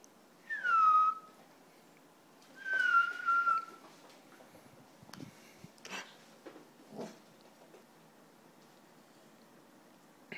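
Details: An Italian Greyhound, one of two playing around in the house, gives two high, whistle-like whines that slide downward, followed by soft knocks indoors.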